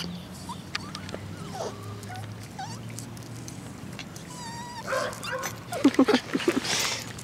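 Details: Tinkerbell, a female pet dog wagging her tail in her everyday routine, gives thin high whines in the first seconds, a longer whine near the middle, then a burst of short sharp yips toward the end.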